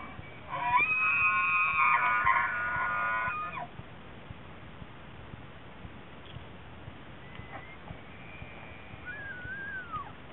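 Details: Elk during the annual rut in Rocky Mountain National Park, where bulls gather cows in a mating ritual: a loud, harmonic, whistle-like call lasting about three seconds, then faint higher whistles and a short rising-falling note over steady outdoor background.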